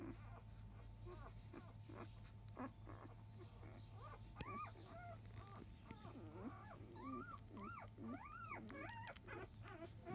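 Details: Five-day-old field-type Labrador Retriever puppy around 10 a.m. feeding, born to biscuit, 2017 JFA grand champion; faint arched whimpers, rising then falling, come in irregular bursts through the second half over a constant low indoor hum.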